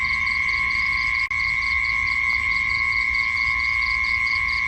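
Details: Insects at night: rapid high-pitched chirps in short pulsed bursts, repeated steadily over two unbroken shrill, whining tones that run throughout. A brief click near the start, with no other animals or voices.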